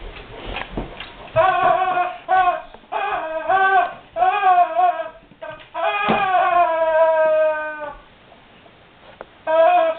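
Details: Whimpering guard dog confronted by a squeaky rubber ducky toy indoors: a string of high, nasal whines in bursts of one to two seconds, some rising then falling, with one long drawn-out whine near the middle.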